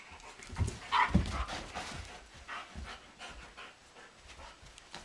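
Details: German Shepherd Blondi and Doberman Sugar Tree wrestling energetically in a living room in April while two sheep, Dasher and Edie, look on; short rough throaty bursts and scuffling, with one louder harmonic growl near the middle, then softer panting and movement.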